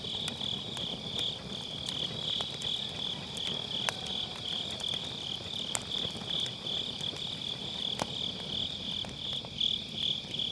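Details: Unbroken high-pitched trilling of grass insects fills an autumn night next to a campfire in a round brazier, captured with an MKE600 microphone; scattered crackles and snaps of burning firewood break in every few seconds.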